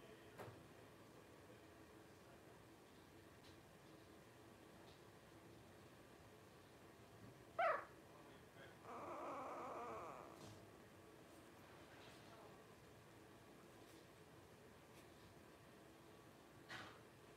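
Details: Litter of five 12-day-old blenheim Cavalier King Charles Spaniel puppies, born to Paris and Spike on New Year's 2023. A sharp, brief squeak is followed about two seconds later by a longer, steady whine, over a quiet indoor background.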